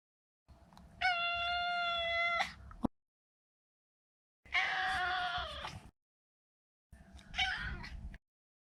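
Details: Maro, a neutered male Maine Coon cat, gives three meows: a long level clear cry, a rougher falling meow, then a shorter strained call, separated by quiet gaps.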